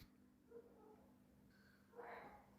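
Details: Barking deer (kakad) giving alarm calls at night near Bhimtal, close to the road where a tiger had recently killed a woman: faint, short, hoarse barks with a stronger bark near the end, over a low steady hum.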